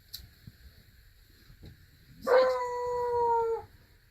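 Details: Four-week-old Beagle puppies playing in a box in Centralia, Washington; one gives a single drawn-out, tonal howl of about a second, steady and slightly falling at the end, after a quiet stretch with faint shuffling.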